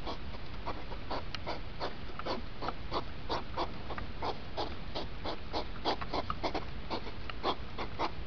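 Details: Hedgehogs in the rut, sped up: fast rhythmic huffs and snorts, short noisy bursts a few per second, with some faint squeaky tones among them over heavy low-frequency rumble.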